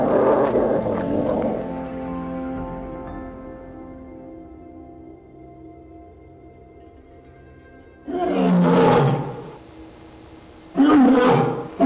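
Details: Black bear roaring: a long harsh, broad rumbling burst opens, then after a lull of sustained music two more loud rough roars arrive about three seconds apart, with steady instrumental music underneath throughout.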